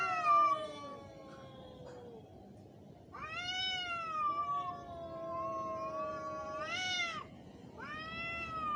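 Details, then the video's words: Fighting, angry cats trade long, wavering yowls: a low droning moan underlies a series of louder, higher caterwauls that rise, hold and fall, ending with a brief rising howl. "Angry cat's sound effects / cat fighting video"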